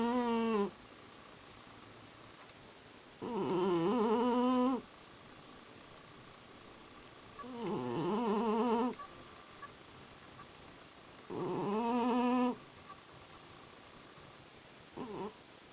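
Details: A sleeping cat gives regular harmonic snoring breaths, about five in sixteen seconds, each a second or so long with a dipping then level pitch, separated by near silence and a faint hum.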